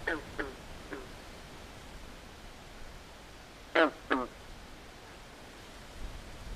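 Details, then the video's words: Frog at night in a swamp: a few soft, falling croaks early on, then after a pause a loud close pair of nasal, quack-like calls, over faint ambient hiss. "Natural Ambient Sounds Of Frogs At Night"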